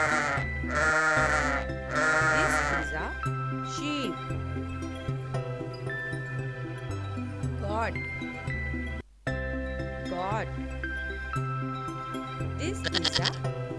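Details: Sheep bleating in two loud, wavering, harmonic-rich cries near the start, over steady background music with a child-directed voice naming the animal.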